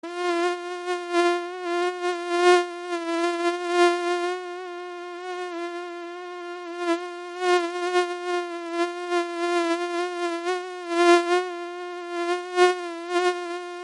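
Mosquitoes give a steady, thin, high-pitched whine that swells and fades slightly as they move.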